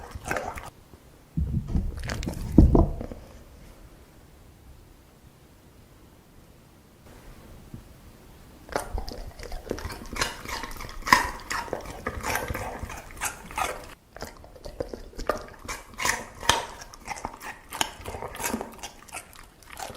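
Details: A dog eating: after a quiet stretch with one early burst of crunching, steady crisp bites and chewing fill the second half in irregular clusters.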